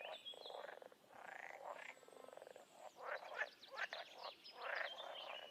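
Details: Many wild frogs croaking at once in nature, rapid pulsed rattling calls in irregular bursts, some voices trilling higher, forming a continuous outdoor chorus.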